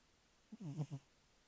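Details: A snoring cat gives a single half-second snort, low and throaty with a slightly wavering pitch, set against near silence.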